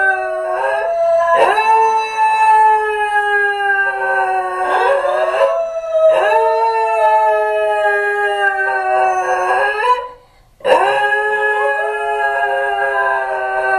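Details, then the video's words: A pair of Basenji dogs, left alone after their owner leaves home, howl together in long, wavering, yodel-like tones that rise and slide, pausing briefly between bouts, apparently missing their owner. "Hidden camera captures howling Basenji dogs"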